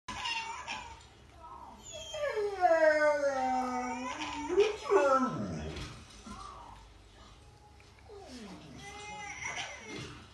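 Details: A Rottweiler gives drawn-out, wavering howls that sag low and then swing back up as he 'chats' with a young relative, whose voice is heard nearby.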